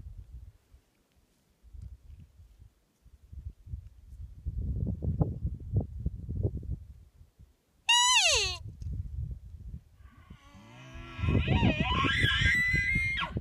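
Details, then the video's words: A Nevada bull elk, called from a tree line about a mile away and a thousand feet below, answers a cow call with a bugle: a high, shrill downward-sliding whistle, then rougher squeals and deep grunts. "Nevada elk bugling"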